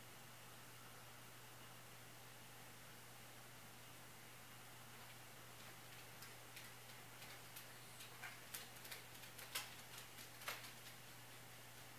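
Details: A quiet room with a steady low hum and a run of faint ticking clicks, no barking or other animal voices.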